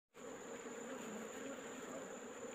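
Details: Asian honey bees (Apis cerana), a wild colony being collected from a hole in rock in the afternoon; a steady, dense, droning hum from many bees, unbroken throughout.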